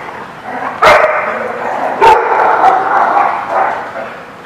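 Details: Two sharp dog barks about a second apart, recorded at The Barking Lot on 20 February 2017, each trailing into a reverberant wash of echo and busy background noise from the room.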